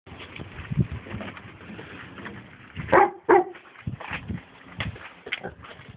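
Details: A pet dog gives two sharp barks in quick succession near the middle, amid scattered softer huffs and rustling handling noises.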